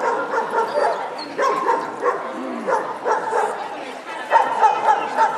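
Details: Barking at the SKK Västerås dog show on 25 April 2010, Leonberger male champion class; rapid, uneven runs of strong barks roughly every quarter second, with people talking underneath in a busy indoor hall.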